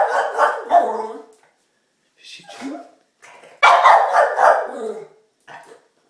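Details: Diesel, a pet dog, makes weird bird-call-like noises while excited and anxious about getting a treat: loud, harmonic yelping whines in two long bursts separated by short pauses, with a couple of brief softer yips between and after.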